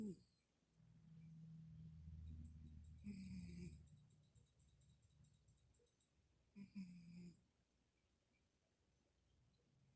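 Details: Pet cat Middy asleep and snoring: a low, drawn-out rumble near the start, then two brief raspy snores a few seconds apart, followed by quiet.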